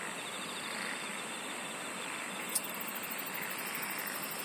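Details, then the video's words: Singing insects keep up an unbroken high-pitched buzzing drone, joined midway by a rapidly pulsing shrill trill that carries to the end over quiet outdoor ambience. "SINGING OF INSECTS"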